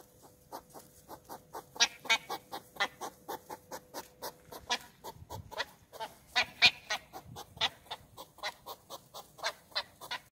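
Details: A West European hedgehog in Olomouc, 2 July 2019, makes loud courtship snorts, huffing in a fast, rhythmic series of breathy puffs.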